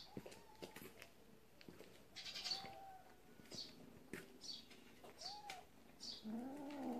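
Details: Kitten from a warehouse cat family, playing with a mole; a few drawn-out meows, one held mid-pitched cry, and a rougher, lower wavering wail at the end, over rustling and sharp taps.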